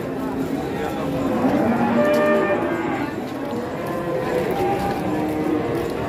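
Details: Giant cattle arriving as a group, lowing in drawn-out, low harmonic moos that overlap and swell over a constant noisy background din for the full six seconds.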